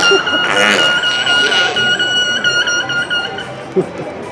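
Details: Captive killer whales vocalise during a show at SeaWorld San Diego on 12/12/15, giving a long, steady, violin-like tonal call with rich harmonics over faint crowd noise.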